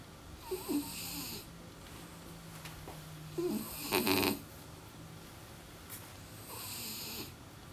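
A French Bulldog snores in loud, raspy, wheezing breaths that repeat about every three seconds.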